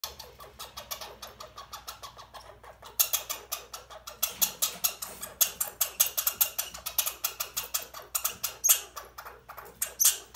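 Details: Red squirrel Bobbi, a female overwintered in care after arriving late as a baby, squeaking furiously while handled during a move to a bigger cage before release; quiet start, then rapid harsh high-pitched squeaks in dense bursts from three seconds on.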